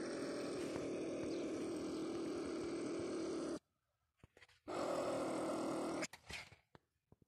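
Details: Marten caught in a baited live trap, with a sustained, gravelly growl lasting over three seconds. After a pause with faint knocks, a shorter rasping burst follows, then clattering noises.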